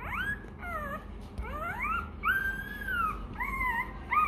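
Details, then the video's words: Rottweiler puppy, hungry and crying for its milk, gives long drawn-out whines that rise and fall in pitch. One sustained arching cry sits in the middle, and shorter rising whimpers follow, against a steady low hum. "Chó Kêu Đòi Sữa: Nghe Sao Thảm Thiết! Hungry! Where s Milk?"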